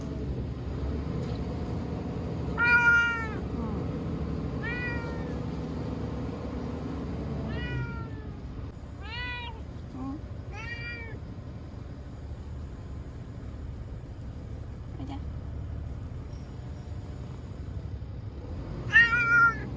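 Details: Timid ear-tipped TNR street cat Chanta (formerly Nyaa), caught and sheltered in a bathroom in Okinawa from Typhoon No. 10 in September 2020, cries while thrashing: a series of about eight harmonic, arching meows, some drawn out, over a low background rumble.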